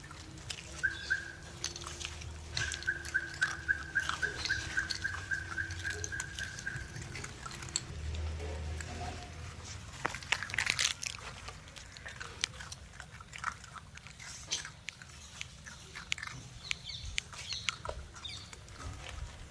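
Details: Puppies munching and slurping at a meal: irregular soft clicks, smacks and wet chewing noises throughout, with a thin steady high tone during the first seven seconds and quieter chewing afterward.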